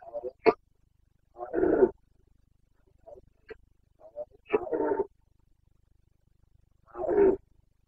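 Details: Carpathian red deer stag in Bucovina's wild mountain forests during the autumn rut, 29 September 2022: short harsh roars and grunts in bursts, three longer bellows about three seconds apart with brief barks between, quiet background.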